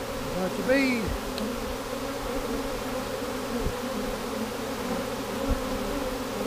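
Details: A swarm of honey bees, swarm number three of 2017, hums steadily while being collected into a box; a brief sliding tonal sound near the start and occasional soft thumps.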